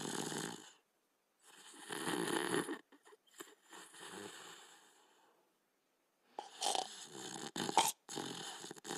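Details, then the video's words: Border Collie and Australian Shepherd asleep, snoring softly: breathy rasping inhalations lasting one to two seconds, alternating with quiet gaps, then a cluster of choppy snorts toward the end in a small quiet room. "Border Collie & Australian Shepherd Sleeping & Snoring"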